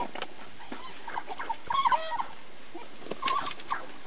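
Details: An African wild dog pack feeding on a fresh kudu kill gives short, high, bird-like twittering chirps in scattered bursts.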